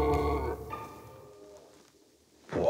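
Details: During the rut, an unseen red deer stag in a forest gives a deep, harsh, guttural roar that trails off into a fading groan; it sounds close, not far away.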